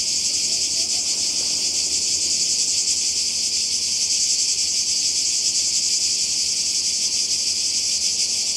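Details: Seaside cicadas in Croatia during summer, many insects merging into one steady, piercing high buzz that neither rises nor falls, faint rhythmic pulsing within.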